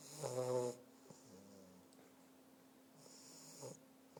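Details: Sleeping English bulldog puppy giving a loud rasping snore at the start, then quieter wheezy breaths and a second snore near the end, with a constant electrical hum underneath.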